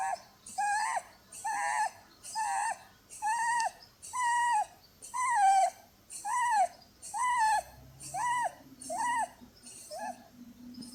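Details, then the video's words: Blueberry, a Holland Lop pet rabbit, snores in her sleep with a whistle-like sound, her flatter face given as the cause; arched tonal whines come about once a second, alternating with airy exhales, with a faint low rustle late on. "Cuddling with a SNORING bunny!"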